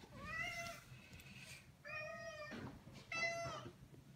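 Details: Maine Coon cats begging to go outside, indoors; three plaintive meows, each roughly half a second long and evenly pitched, spaced over four seconds, with a person's coaxing voice briefly between them.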